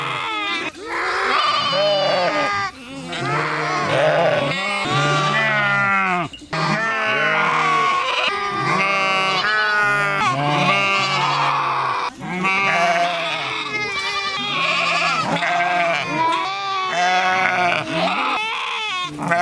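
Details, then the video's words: Several sheep bleating in overlapping, bleating baas and yells that run almost continuously for twenty seconds, with only a few brief pauses. "sheep sounds - Individual & sounds || Learn Baaing, Bleating, Yelling, Screaming & Meh Sound Effects"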